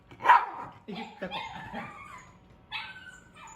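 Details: Pet Shiba Inu dogs rushing to their owners during a household emergency; a sharp, loud yelp opens, followed by several shorter harmonic whimpering notes and a final rising whine, with quiet room noise behind.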